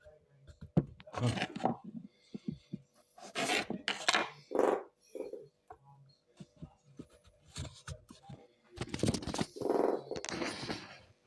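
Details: A three-legged Dobermann makes short, throaty, frog-like croaks indoors, in bursts separated by brief pauses, with softer rustles and possibly quiet human voices in the background.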